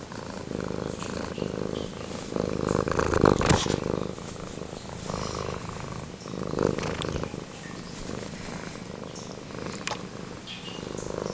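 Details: Male house cat Pumpkin purring up close: a steady low rumble of rapid pulses rising and falling in loudness with each breath, plus a couple of soft clicks.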